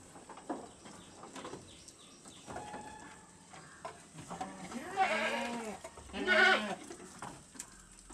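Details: Young goat kids about one month old, practising eating corn offal, give two wavering harmonic bleats near five and six seconds after soft clicks and rustles.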